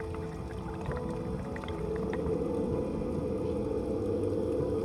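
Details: A male Hawaiian monk seal vocalizing underwater right in front of a diver, pushing air from lungs into throat and then exhaling bubbles, gives a low, droning moan, with music playing underneath.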